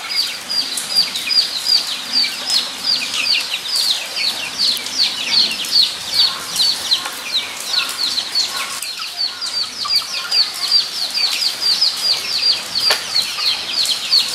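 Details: Guinea pigs at Nogeyama Zoo on 23 September 2012, giving a dense chorus of high, short downward-sliding whistles that repeat rapidly and overlap, with several animals calling at once. Soft background rustle runs beneath.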